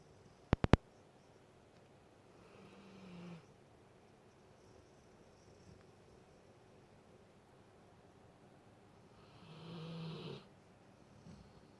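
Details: Alaskan Malamute snoring indoors: two slow, breathy snores with a low hum, spaced about seven seconds apart, after a few sharp clicks at the start.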